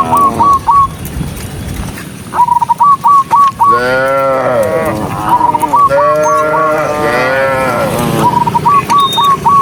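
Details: Dozens of docile cows walking along a country road on their way to the barn give long, deep, rich moos, some rising then falling, with quick whistled notes between.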